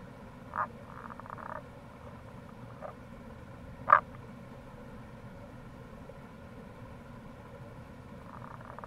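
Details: Wild Tago's brown frog near a gorge at the Kamo River, Itoshima, Fukuoka, Japan, in April: scattered short croaks, one loud at mid-clip, plus quieter rapid pulsed rattles at the start and end, all over a steady low background rush.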